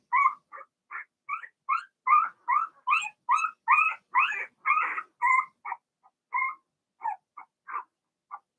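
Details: Young Blenheim Cavalier King Charles Spaniels, part of a litter of six in a home puppy pen, give rapid, yelping whines with bending pitch. Each cry is brief and they come in a quick series that grows louder, then scatters into separate squeaks.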